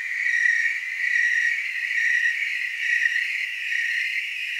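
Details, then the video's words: Chorus of tree crickets from Oregon's Willamette Valley, a steady shrill trill that swells and fades roughly every second, dense and unbroken throughout. "Tree cricket chorus"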